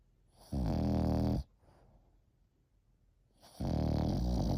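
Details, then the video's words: Deep, rasping snores from a French Bulldog aged 8 months, two long rattling breaths about a second each, separated by roughly two seconds of near silence. "8 months old Frenchie |Snoring"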